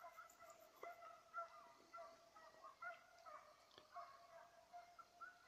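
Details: Rapid, ringing yelps from a Petit Basset Griffon Vendéen chasing a rabbit on 05/10/2014, repeated steadily with slight pitch changes and a faint high chirping in the opening second.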